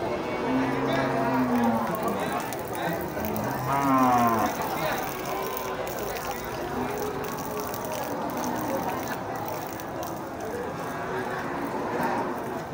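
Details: Cattle mooing on a farm where a cow said to be five months pregnant is shown; low, drawn-out moos near the start and again around four seconds, partly masked by background music and chatter.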